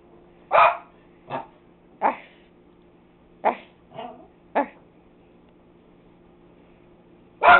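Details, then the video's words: Family pet dogs barking in bursts indoors, six short barks over five seconds followed by a pause and one loud final bark, with a low steady hum beneath. "Dogs Barking!"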